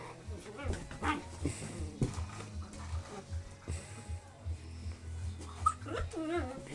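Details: Four-month-old English Springer Spaniel puppies, one female and three males, playing on a porch with a pop bottle; high wavering whines and whimpers near the end over a steady low hum, with a man talking to them and faint music.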